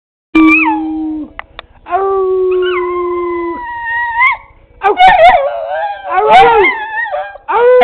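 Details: A pet Bedlington Terrier singing indoors in long, pure-toned howls. Steady held notes slide up and down and waver, breaking into higher, strained wails toward the end, with short pauses between phrases.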